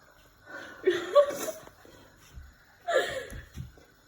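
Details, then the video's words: Domestic cat making funny noises: two wavering, whiny meow-like calls, the first bending up and down for about a second, the second shorter and breathier, with soft snuffles between. "Funny cat noises"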